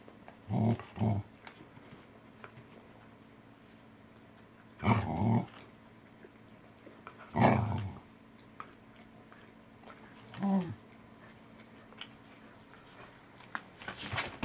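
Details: Welsh Corgis Roku, Angela and Kuro eating saury indoors in a small room; short, low, growly bursts come in separated clusters, a double burst at the start and then single ones, the last one sliding downward, with quiet pauses between.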